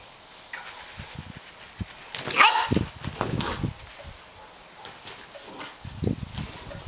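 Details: During a football lesson outside after the rain, Holly the Welsh Springer Spaniel gives one sharp loud bark followed by softer scuffling thumps and brief yips, with light background noise.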